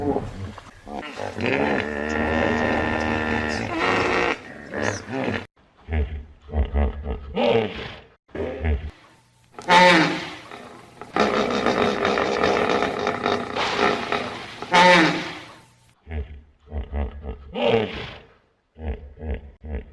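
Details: Loud hippo vocal series: a long, rich, drawn-out bellow opens, then choppy deep grunts and honks in quick bursts, with a second sustained roaring bellow near the middle and short grunts trailing off at the end.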